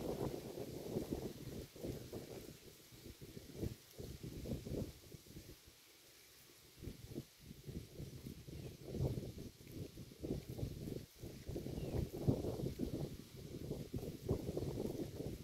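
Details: Cow grazing on grass beside a road, close up: rhythmic low crunching and tearing bites about three times a second, with a brief pause near the middle before the chewing resumes.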